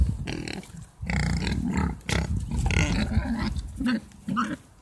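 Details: Mangalica pigs in a herd kept at a horticultural garden in Hungary, giving low rough grunts in dense overlapping bursts, with a few higher squeal-like notes near the end.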